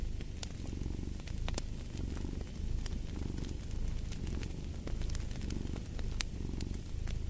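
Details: Cat purr as a deep continuous vibrating rumble, rising and falling in gentle waves roughly every second or so, with scattered crackling snaps of a fireplace fire over it.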